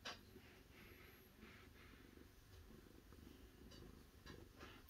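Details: Domestic cat purring steadily, a low rumbling pulsed drone throughout, with soft rustles and faint clicks indoors.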